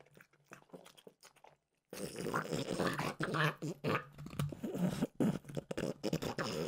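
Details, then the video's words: French bulldog Mimosa snacking on peanut butter flavored dog treats; after a near-silent start, dense crunching and wet chewing bursts fill the rest, irregular and close. "Frenchie ASMR - Trader Joe's Dog Treats Peanut Butter Flavored"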